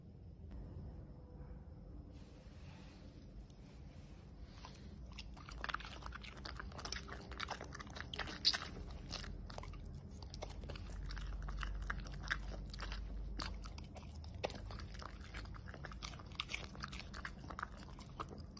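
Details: Pembroke Welsh Corgi eating food indoors, shown close up: a steady run of dense crunching and biting clicks, irregular but rapid, growing louder after the first few seconds over a low background hum.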